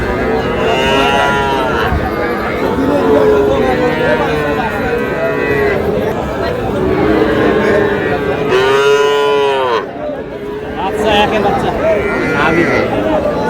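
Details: Small young bull calves and heifers in Noakhali, 21 July, during buying: overlapping moos through a busy background, with one loud, clear arched moo about nine seconds in, then a brief lull and men talking.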